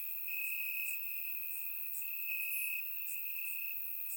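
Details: Crickets in grass on a warm Bulgarian summer night give a constant piercing trill, slightly louder in two long swells, with scattered short high chirps of neighbouring insects dotted above; recorded with a surround microphone.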